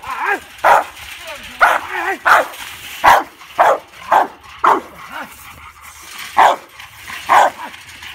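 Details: A 19-month-old male Rottweiler barks in loud, deep bursts at an uneven pace while guarding his backyard from an intruder.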